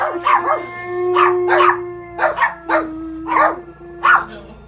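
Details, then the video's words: A German Shepherd named Hondo howls along to the film Gravity, giving short, pitched howling yelps in pairs over the film's steady humming soundtrack. "Dog howling with Sandra Bullock Gravity."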